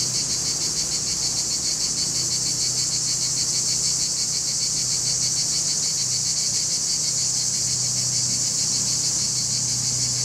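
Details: Summer cicada chorus of singing males, Larissa, Greece, July: constant piercing buzz with a fine pulsating beat, over a faint low steady hum, recorded on a camcorder.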